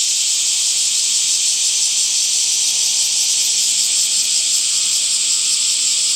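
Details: Summer cicadas in a dense chorus: a steady, hissing high buzz that holds without a break, with faint rapid pulsing along the top edge and no other clear sounds.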